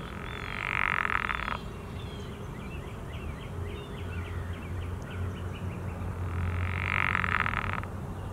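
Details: A pickerel frog gives its mating call: two low, snoring croaks, each lasting just over a second.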